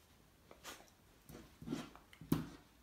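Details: Cocker spaniel named Louis, indoors, reacting to his own reflection in a mirror: low, muffled woofs, two short huffing barks near the end, with faint breathy snuffling between them in a quiet small room.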